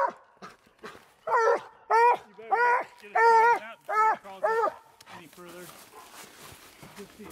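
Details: Treeing Walker Coonhound out on a night coon hunt gives six loud, drawn-out, ringing barks in a quick run about half a second apart, followed by quieter rustling and background noise.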